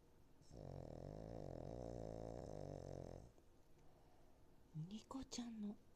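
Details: Nico, a fostered Cavalier King Charles Spaniel, snores while asleep: a steady, buzzy, vibrating drone lasting around three seconds, followed by a pause and brief human speech near the end.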